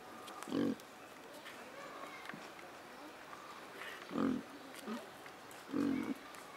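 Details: Pig at Opole Zoo giving short low grunts, three evenly spaced bursts roughly every one and a half seconds, with faint background chatter and outdoor noise.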